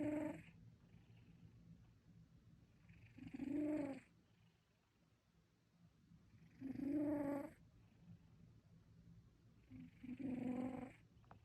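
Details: Sleeping cat snoring: four slow, raspy breaths roughly every three seconds, each a rough, buzzy rumble with soft hiss, separated by near silence.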